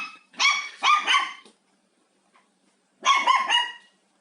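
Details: Pet dog named Haengbok, at home during cleaning, facing a vacuum cleaner it finds both interesting and frightening: a quick volley of sharp, high barks, a silent pause, then another short burst of two or three barks.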